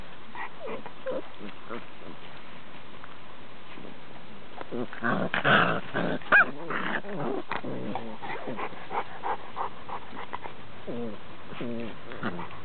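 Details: Five-week-old Cane Corso pups beside their mother produce grumbling growls and squeaky whines. A louder burst of play noise comes midway, and rhythmic short yaps follow near the end.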